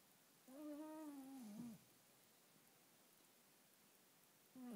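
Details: Sleeping Schipperke dog, snoring or dreaming, lets out a clear nasal whine of just over a second that holds steady, then sags and breaks off. A second whine starts at the end over a quiet indoor background.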